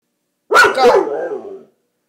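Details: A dog howls along to a trumpet, giving a brief, wavering howl that opens sharply and slides downward before fading out.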